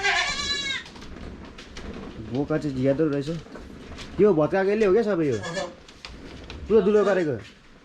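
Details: A 93% Boer goat on a Jhapa, Nepal goat farm. A high, thin cry opens, then three lower, quavering bleats follow, each rising then falling, spaced about two seconds apart over light background noise.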